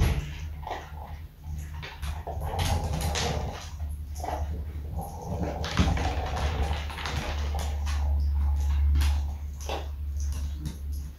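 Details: A beagle named Smudge, outdoors in snow near water, gives a run of short whimpers and yelping barks over a steady low hum, apparently trying to get across somewhere.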